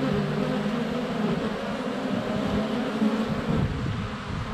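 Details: Close-up drone of honey bees at the hive entrance, filmed in sunny February weather with a GoPro Hero 7 Black; a continuous low, even hum with gently wavering tones from bees circling the camera.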